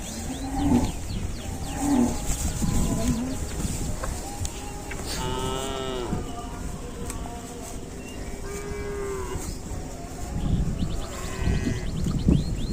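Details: Cow heard among strange-sounding cattle calls: short, low grunting moos near the start, then drawn-out harmonic calls, over steady chirping of small birds and faint background noise.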